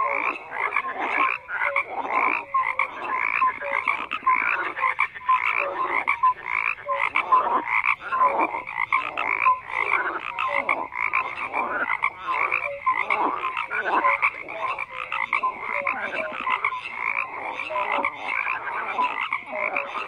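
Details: A crowded frog chorus, countless short croaks and rattling pulses overlapping in a steady wall of sound, scattered short tonal notes among them.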